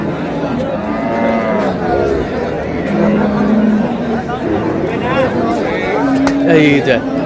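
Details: Cows with calves at Ambari market, Dinajpur, Bangladesh, March 6, 2026: a few steady low moos, one held about a second and another rising near the end, amid loud crowd chatter and men talking.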